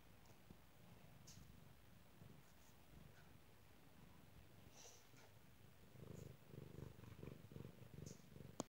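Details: Cat purring, a low throbbing rumble that grows louder and more clearly pulsed toward the end, with a brief click at the very close.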